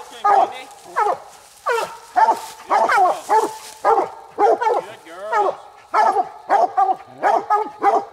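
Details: Night raccoon hunt with coonhounds Nite Ch Fit and Nite Ch Cindy, after the second coon. Steady chopped barks with bright harmonics run almost continuously, about two per second, with a few longer rising bawls.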